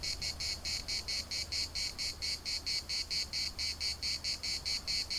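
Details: In a municipal park at Larnaca, cicadas produce evenly spaced rasping pulses, a little over two each second, bright and metallic over a quiet low hum.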